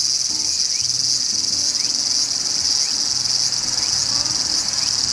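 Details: Graptopsaltria nigrofuscata, the large brown cicada, produces an unbroken high sizzling drone at even volume, with faint short rising chirps cutting through above a soft low background hum.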